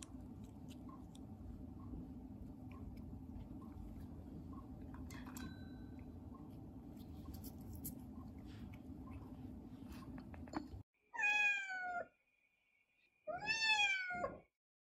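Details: A Siamese cat in a police uniform, during bell-ringing training, gives two loud, drawn-out meows after a stretch of rustling, chewing-like noise.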